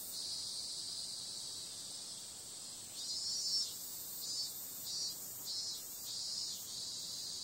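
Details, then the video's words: Cicada calling on a summer night: a dense, high, hissing buzz runs steadily, then from about three seconds swells into rhythmic pulses roughly every half second, with no other sounds. "Cicada sound"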